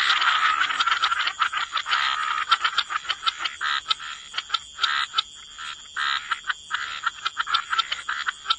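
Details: Frogs in a wetland chorus at the waterside give rapid, clicking, rattled croaks in uneven bursts with short pauses between them, over a thin steady high ringing tone.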